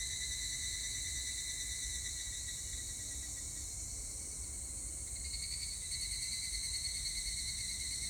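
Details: An evening cicada (higurashi), recorded 25 July 2019, sings a steady, high, shimmering trill with strong bands stacked one above another.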